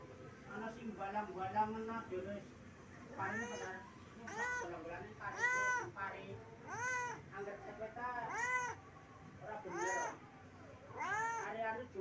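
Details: Pet house cat begging its owner for food, with a run of about seven wavering, rising-and-falling meows at steady intervals. A person talks over the opening seconds.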